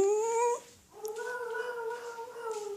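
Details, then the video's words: Pet dog making funny noises: a short, steady, tonal whine, a brief pause, then a longer, gently wavering, howl-like whine that holds an even pitch for nearly two seconds. "Dog making funny noises"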